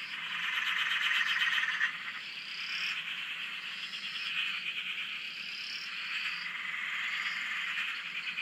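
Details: Frog chorus recorded from a shack on a dam in Australia: dense overlapping pulsed croaking around the mid-high range, with rapid repeated notes and higher rising whistle-like calls drifting through, loudest in the first two seconds.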